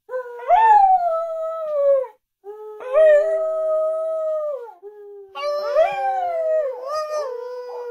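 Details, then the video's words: Female Australian Kelpie, a pet taught to howl, giving three long tonal howls of about two seconds each. Each swoops up, then holds a steady, slightly falling note with rich overtones, and short pauses fall between them. "Australian kelpie Lilli is howling"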